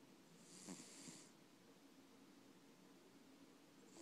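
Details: Max, a pet cat, snoring indoors: one soft, breathy, hissing snore lasting under a second near the start, followed by near silence with faint room hiss.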